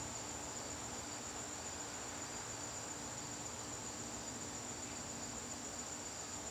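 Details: High, steady cricket trilling fills a garden on a September evening, rapid and continuous, with a mild hiss of background noise.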